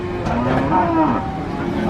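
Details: A brief cow moo that bends upward, then dips in pitch, over a constant low background hum.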